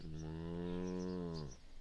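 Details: Milk cow at the Ingalls Homestead farm in De Smet, South Dakota, lowing in one long, even, deep moo lasting about a second and a half, then falling quiet.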